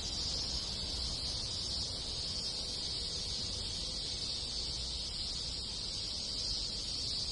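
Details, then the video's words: Countless cicadas and other insects in a rural Japanese village during summer, producing one even, sizzling high-pitched wall of sound without breaks or changes in rhythm. "Cicada Sound - Sounds of Cicada in the Countryside in Summer"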